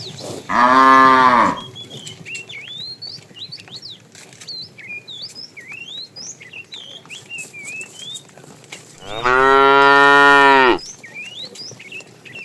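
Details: Tame cattle herded in the afternoon, a fat male calling the female: two long, rich, harmonic moos, each lasting over a second, separated by a pause filled with chirping and twittering small birds.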